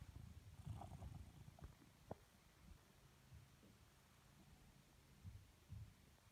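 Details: A blue British Shorthair cat lazing contentedly purrs in soft, low rumbling bursts against a quiet background.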